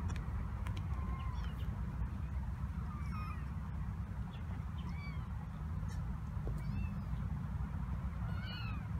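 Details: Black cat Tituba's 26-day-old kittens, seven in all including a fostered orphan, roam the kitten coop at Carolina Kitten Ranch, November 7, 2017. Scattered short, high, downward-curving mews from more than one kitten, backed by a constant low rumble.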